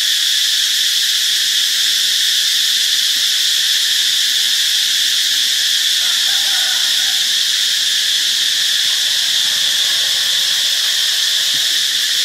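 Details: In Ubon Ratchathani, Thailand, on 26 March 2021, a cicada sings a loud, continuous, high-pitched buzz that holds steady without a break.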